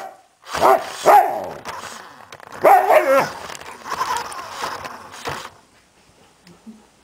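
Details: Samoyed dog reacting while chased by a remote-controlled armadillo: short sharp barks near the start, then a burst of yelping, whimpering barks, easing into softer whining before falling nearly silent.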